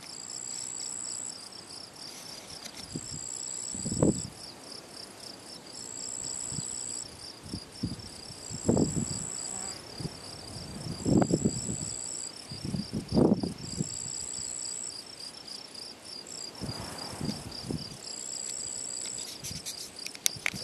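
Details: Field cricket chirping near ponds in the Draga valley, 18 June 2023: a continuous high chirping trill under repeated low rumbling bursts, possibly wind or handling, with a thin high tone returning every couple of seconds.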